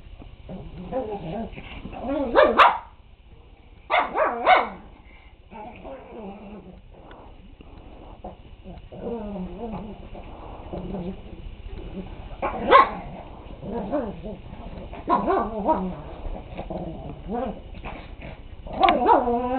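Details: Big dog growling at a puppy that is no longer intimidated; low rumbling growls break into short harsh barks and yips, scattered in bursts over twenty seconds, with quieter whining between.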